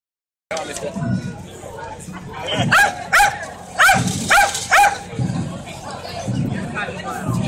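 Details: Dog barking at a toaster at the Atlanta Maker Faire: a run of about five sharp, loud barks spaced roughly half a second apart, then quieter, with steady crowd chatter and voices in the background throughout.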